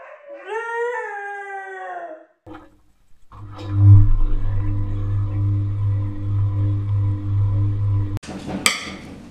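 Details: Husky giving a short wavering howl that rises then falls over about two seconds, followed by a steady low rumbling hum and a brief sharp noise near the end.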